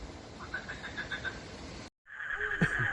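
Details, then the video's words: Green frogs (katak hijau) give a run of short pulsed notes in quick, steady succession. After a brief cut, a dense continuous trilling chorus follows. "SUARA KATAK MERDU MENENANGKAN HATI"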